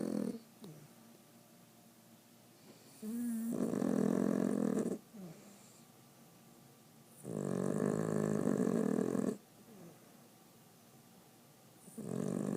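A Boston Terrier snores in long, rumbling, buzzy breaths, each lasting about two seconds.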